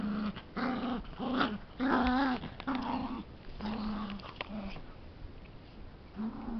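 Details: A puppy wrestles with a big dog and makes funny noises, a string of low, buzzy play growls and moaning whines repeated about once a second, some bending upward, with breathy scuffling between them.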